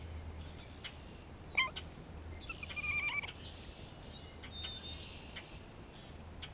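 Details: Grey squirrel calling in spring, responding to a hawk close by. A sharp harmonic cry, then a wavering, slightly buzzy call about a second later, over faint distant chirps, soft clicks and a low steady hum.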